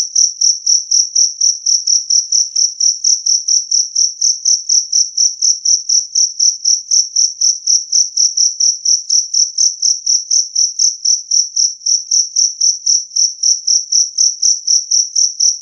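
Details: Loud, clear chirping of a jangkrik kalung, the two-spotted cricket, meant to repel rats. A long, even train of shrill ringing pulses comes about four each second, with no background noise.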